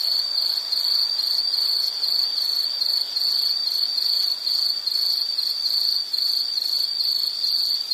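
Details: Nature-sound recording of an insect for calming background listening: continuous shrill high trill broken into quick regular pulses roughly several per second, steady throughout, nothing else audible.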